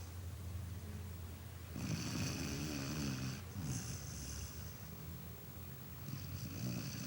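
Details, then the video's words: Dog snoring: long rasping breaths with a buzzy, rumbling drone low down and a hissy upper band, about three drawn-out snores across the stretch, the second longest, separated by quieter pauses. "Cachorro roncando"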